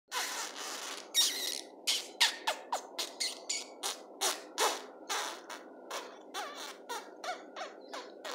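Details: Chocolate Biewer Yorkshire Terrier puppies from a kennel litter of one female and two males, born 16 January 2020, give thin, high squeaks and yelps in a quick, uneven run.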